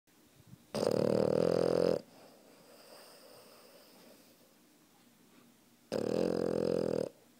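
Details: Sleeping puppy snoring loudly while lying on top of a person: two long harsh rasping snores about five seconds apart, each lasting over a second, with quiet breathing between them indoors.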